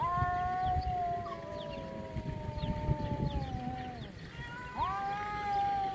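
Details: Two cats fighting, one eventually giving up: long drawn-out wailing howls, two voices overlapping in slowly falling tones, then a sharp rising yowl near the end over low rumbling background noise.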